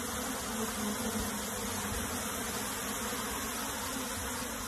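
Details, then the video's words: Honey bee colony being moved into a box, a dense continuous buzzing hum of many bees spread broadly across low and high pitches, steady throughout with no pauses. "PEMINDAHAN LEBAH MADU KEDALAM KOTAK"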